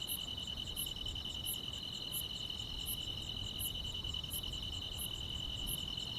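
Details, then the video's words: Summer-night grass insects in the countryside, heard as an unbroken high buzzing trill layered with regular sharp ticks roughly every 0.7 seconds; soft low background noise underneath. "여름밤의 포근한 풀벌레 소리"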